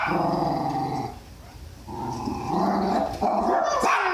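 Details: Tally-Ho, a Jack Russell Terrier going after a guinea pig, growls in a low, harmonic, whining rumble: one long stretch, a short dip, then a second sustained burst with sharper noisy edges near the end.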